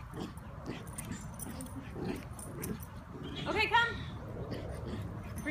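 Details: Schnauzer playing tug of war, giving a brief high, wavering whimper of a few stacked tones just past mid-clip, with people talking and soft rustling and thuds throughout.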